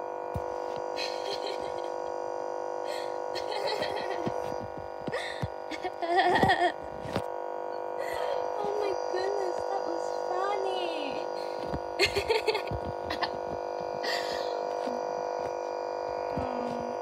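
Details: Siberian Husky throwing a tantrum indoors after being told off a chair, voicing drawn-out whines and yowling complaints that rise and fall in pitch, broken by short grumbles, while a woman speaks and a steady electrical hum runs underneath.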